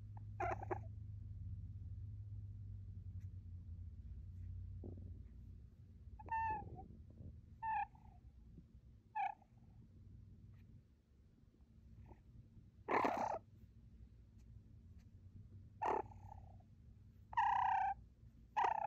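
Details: An eight-week-old female fennec fox purrs with a low, steady rumble during cuddles and rubs, then gives short, high, squeaky chirps.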